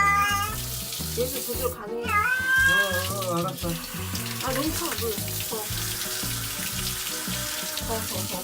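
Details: Adult cat named Gyeoul being bathed, apparently upset because the water was cold: a few strained, wavering meows early on, then mostly running water and background music.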